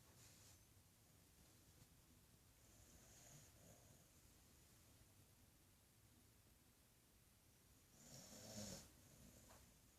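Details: Sleeping female dog snoring like a human indoors: soft, slow breathy rasps in a quiet room, with a louder, fuller snort-like snore near the end.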